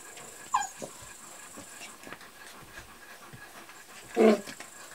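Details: Kuvasz puppies, 38 days old, from the Crystal Diamonds litter of Armani Niclas and Arika Majna-menti Mákvirág, recorded 21 July 2014; a short falling whine early on, then quiet, then a louder whimpering yelp near the end.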